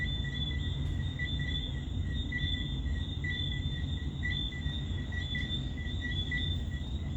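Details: Summer night chorus of crickets and tree frogs at Montego Bay, Jamaica, June: continuous shrill pulsing chirps repeating rapidly in two high bands over a heavy low roar of surf.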